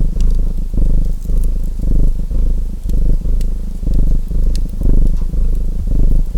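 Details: Rumbling domestic cat purr rising and falling near once per second, each breath a dense low buzz, while a fireplace crackles with occasional sharp pops.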